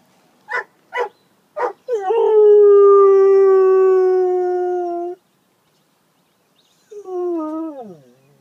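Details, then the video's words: Bouvier des Flandres named Cola, described as singing: three sharp barks, then a long, steady, harmonic-rich howl held for about three seconds, a pause, and a shorter howl sliding downward in pitch. "My Singing Bouvier Cola"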